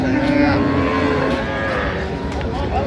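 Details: Cattle at a busy livestock haat in Ambari, Bangladesh, where cows and calves are sold; a deep, steady moo fills the first second or so, then fades into crowd murmur and a passing vehicle.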